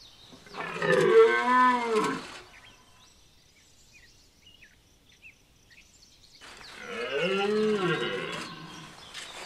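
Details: Two powerful bellows from a red deer stag during the rut at Chambord, France, September 2021: each a deep, grating roar of two to three seconds, swelling and dropping, separated by about four seconds of quiet.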